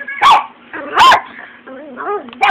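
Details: Japanese Chin reacting after hearing fireworks: two sharp, loud barks about three-quarters of a second apart, then softer wavering whines rising and falling, and another bark starting at the very end.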